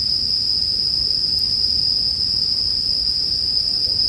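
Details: Continuous shrill ringing of bell crickets, one unbroken high tone, layered over a low campfire hiss for a sleep soundscape.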